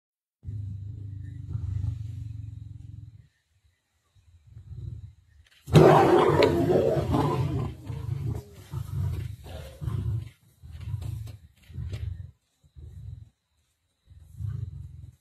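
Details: Black Dam male lions turning aggressive on the Nkuhuma lioness during a feast, 19 November 2023: steady deep rumbling growl, a pause, then an explosive harsh snarling outburst followed by repeated short low growls.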